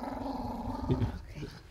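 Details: Angry Pomeranian dog reacting to getting a bath: a low, steady rumbling growl held throughout, with people talking quietly in the background.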